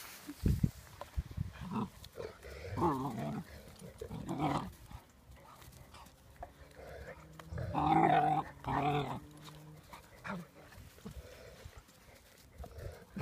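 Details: During play between the puppy Saasi and her father Gladio, a scattered series of low growls and whiny grumbles, two brief clusters early and a louder pair near the middle, among shuffling and handling noises.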